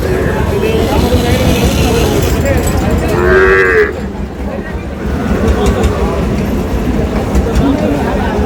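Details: Sahiwal bull calves at a cattle market in Chandpur, Bangladesh, 15 May; one short moo rises out of a steady din of crowd noise, voices and passing vehicles.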